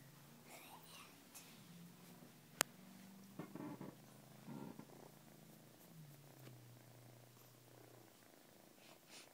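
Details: A neutered male house cat purrs while letting a new kitten nurse on him. The purr is a soft, low, continuous rumble that rises and falls steadily, with faint rustling and a single sharp click.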